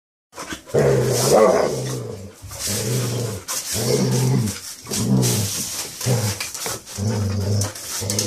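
A Basset Hound gives deep, drawn-out grumbling barks, repeated roughly every second or so indoors.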